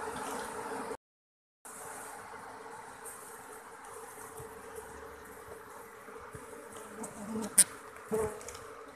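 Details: Hollow-log colony of Asian honey bees (Apis cerana) being moved after comb removal: an even, low droning hum with a steady tonal band, a few sharp clicks and knocks near the end.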